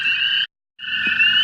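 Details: Hundreds of American toads in a single springtime wetland at night, swimming and fighting for territory: overlapping steady trills at two pitch levels, briefly cut to silence mid-way before resuming, with a faint low splash or knock.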